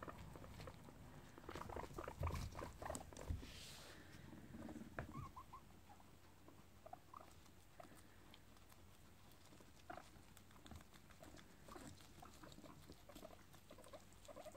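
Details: Guinea pigs gathered in a house cage for a visit to Daisy after her return from the vet; soft pattering footsteps and rustling with a run of short, rising squeaks in the middle.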